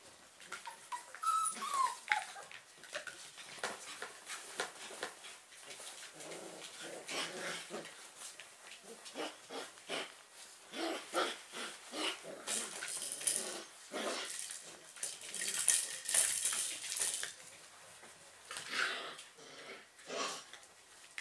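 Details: German Pinscher puppies, just awake, stirring together: dense rustling and scratching with short whimpers, yelps and soft grunts scattered throughout.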